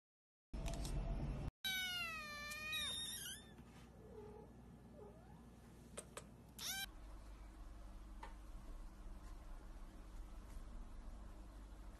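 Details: Cat meowing at close range: a long wavering harmonic meow with falling pitch, followed by a few shorter sharp calls, then quieter rustling and low background hum.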